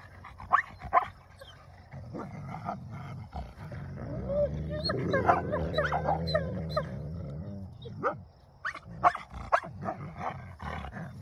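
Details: Two wolfdog puppies growl and snarl in a low, rumbling scuffle as they battle for dominance over a possession.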